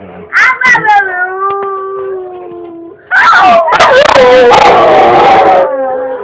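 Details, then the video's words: Dog 'talking' in long, drawn-out, voice-like howls: a steady tone sliding slowly down in pitch, a short pause, then a louder, wavering, rough howl that rises and falls before fading. "Amazing Talking Dog"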